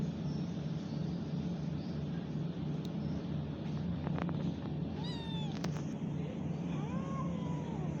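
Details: Kitten meowing twice after several seconds of low droning hum and scattered clicks: first a quick wavering cry, then a longer arched mew near the end.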